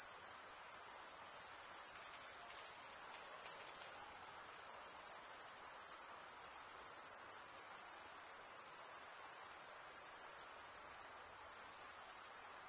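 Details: Stridulating male crickets fill the air with a continuous thin, very high pulsing trill, steady throughout, only slight dips in volume, over a quiet background hiss.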